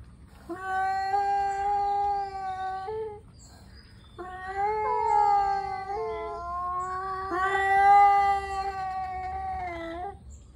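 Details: Angry tomcats squaring up before fighting: a wavering, moaning yowl for about two and a half seconds, a brief pause, then a longer, louder wail with overlapping voices and pitch breaks that swells near the end.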